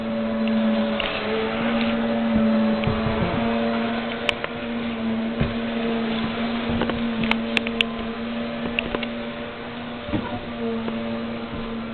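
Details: Steady mechanical hum with droning tones and scattered sharp clicks and knocks, no animal voice heard.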